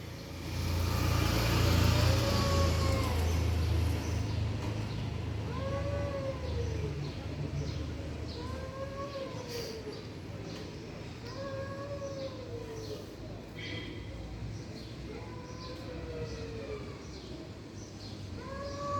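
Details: Stray cats fighting with strange noises: drawn-out, arching, wavering yowls with rich harmonics, repeated roughly every two seconds, over a steady low rumble of traffic that is loudest in the opening seconds.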